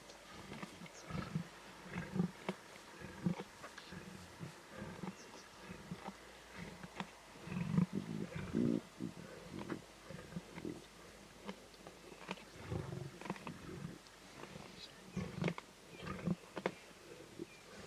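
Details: Lion cubs in the Timbavati snarling and growling intensely while feeding at a zebra carcass; deep rumbling growls and harsh snarls come in repeated irregular bursts, overlapping one another, with sharp clicks of chewing and tearing between them.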